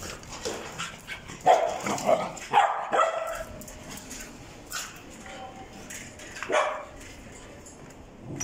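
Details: Red-and-white male Welsh Corgi born in June 2020 barking in a quick cluster of three or four yaps, a pause, then one more bark, over low indoor background noise.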